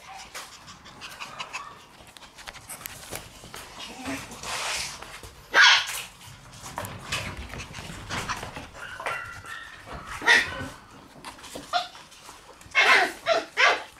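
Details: Red female Shiba Inu born 24 August, whimpering softly throughout, broken by sharp high squeaks that burst out near five and a half, ten and thirteen seconds.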